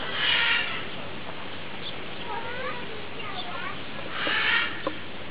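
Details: A ring-tailed lemur on the lemur island at Opole Zoo, Poland, gives two drawn-out, cat-like mewing calls a few seconds apart. Ring-tailed lemur.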